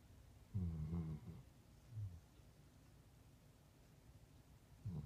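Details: Ozzy, a puppy, sleeping on a couch and snoring: low rumbling snores with a soft whistling overtone near one second and again at the end, quiet breathing between them, in a small indoor room.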